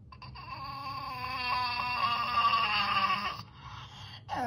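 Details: Pet dog asking for treats with a bizarre screech, likened to an infected clicker: a sustained, wavering, strained whine-screech with many bright overtones lasting about three seconds, then breaking off, indoors.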